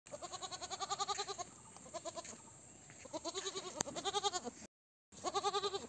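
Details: Mother goat bleating while searching for her kid as the goats go in search of food; loud wavering, pulsed bleats repeated in bursts with short pauses, harmonic and nasal, with faint background rustle.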